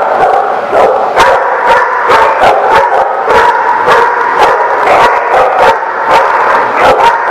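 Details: Dogs barking, recorded 25 November 2017: loud, sharp barks come in rapid, overlapping bursts, about fifteen in seven seconds, with no pauses. The barks are dense and harsh, and several dogs seem to call at once.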